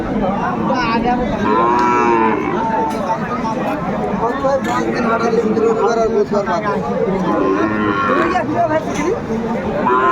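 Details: Sahiwal bull calves for sale at a Noakhali cattle market, Bangladesh, 21 August 2024; short, bent lowing calls come one after another amid bargaining voices and continuous market hubbub.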